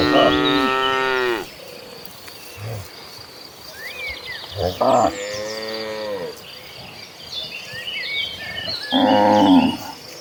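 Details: Domestic cattle in a large tame herd walking toward the pasture. A long moo opens the clip, shorter lowing calls follow in the middle, and a final moo ends it, against background chirping.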